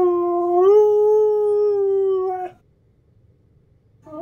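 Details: Husky howl that steps up in pitch early, then holds a smooth, level tone for about two seconds before cutting off; a new howl begins rising just before the end.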